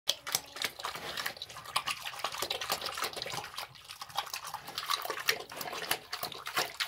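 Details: A pig eating slop: a steady stream of wet smacking, slurping and sharp chewing clicks, dense and irregular throughout, with liquid splashing and no grunts or squeals.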